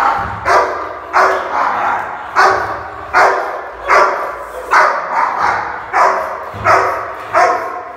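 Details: A Rottweiler in India snarls, growls and barks in harsh, rough bursts, aggressively guarding its food and warning others away.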